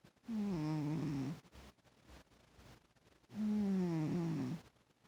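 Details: Domestic cat snoring, two low droning voiced snores about three seconds apart, each lasting roughly a second with a slightly falling tone, quiet breathing between.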